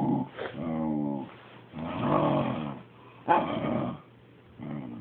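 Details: Jealous dog voicing disapproval indoors while its owners pet the cat: three long, groaning, growly 'talking' grumbles, each about a second, with rich tones and short quiet gaps, ending on a brief fourth start.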